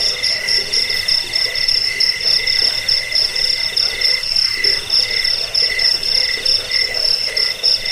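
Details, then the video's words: Crickets chirping, recorded to scare off rats, help with sleep and train cage birds; piercing high pulsed chirps in slow bursts about once a second, several pitches layered, with a faint low murmur beneath. "Suara jangkik pengusir tikus pengantar tidur"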